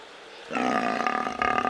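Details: Brown fur seal at Belgrade's Beo zoo vrt (Vrt dobre nade), recorded in May 2022 on a Panasonic AG-CX350. After brief quiet, a loud, abrupt, sustained harmonic bellow starts and runs over a second with throbbing pulses.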